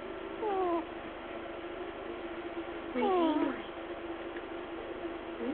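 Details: Sleeping pet ferret named Shushu snoring: two squeaky, falling whistled breaths about two and a half seconds apart, each a short descending glide, over a steady low indoor hum.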